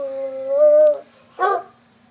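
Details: A hound dog howls along to music: a drawn-out, tuneful howl that rises slightly, then ends with a short, rough bark.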